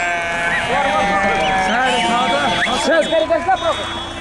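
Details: Several sheep bleating over one another, wavering arched calls overlapping continuously, with a steady background hum.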